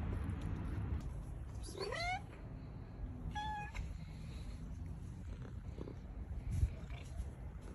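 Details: Cat arriving at a doorstep and asking to be let inside gives two meows, the first a wavering drawn-out cry, the second short and flat, against low background rumble.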